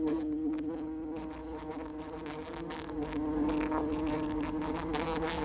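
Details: Continuous, even flight drone of a bumblebee, a low humming buzz with layered overtones that holds steady and swells a little in loudness toward the end.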